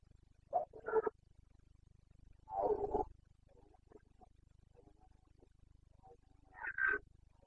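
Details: Carpathian red deer stag in the Bucovina mountains during the breeding season, 29 September 2022: three fairly faint, short harmonic roars, separated by quiet gaps with low background hum.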